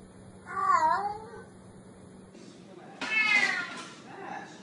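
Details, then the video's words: Black kitten meowing twice: a first wavering, slightly falling meow lasting about a second, then after a pause a higher, brighter, shorter meow, over a faint steady hum and light background hiss. "Tiếng Mèo Kêu Meo Meo"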